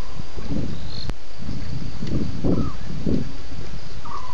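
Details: At least two lions roaring at Djuma waterhole at 01:30 a.m. on 11 November 2016, heard as a series of deep grunts about every half second over a steady hiss, with faint high chirps.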